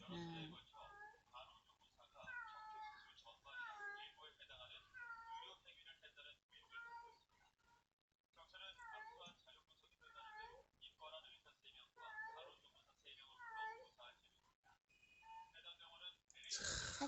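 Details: Stray mother cat crying as she searches for her lost kittens, days after a heavy rainstorm; repeated wavering, rising-falling meows in a steady series, with a short silent gap midway and a brief human voice.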